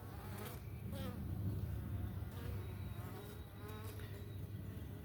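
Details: Italian honey bee workers returning to a homestead hive, some sticky from sugar water being cleaned off by other workers; dense low droning hum with shifting buzzy harmonics as bees fly past closely.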